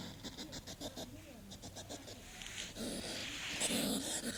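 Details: Hedgehog without a sneeze, giving rapid rhythmic sniffing puffs, with a short low voice-like hum partway through, then a stretch of louder continuous hissy breathing and snorts.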